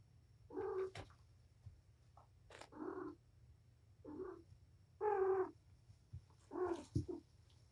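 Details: A wound-up mother cat, Patience, plays indoors with her five young kittens, four boys and a girl. Five short, tonal mews come at irregular intervals of roughly one to two seconds, with soft thumps and scuffling between them.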